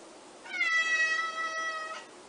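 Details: Bengal cat giving a single drawn-out meow of about one and a half seconds, a clear harmonic tone holding steady and easing slightly downward before trailing off, in a quiet setting.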